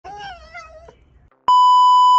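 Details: Pet fox indoors whining while refusing to give back a ball that belongs to its 'older brother', seeming to scold its owner; a high, wavering, nasal whine lasting about a second, then a loud steady electronic beep.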